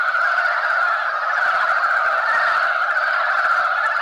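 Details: Korean brown frog males competing over females at a spawning site, massed in a tangle; a dense, unbroken chorus of rapid croaking forms a steady mid-pitched drone that holds level for the whole stretch.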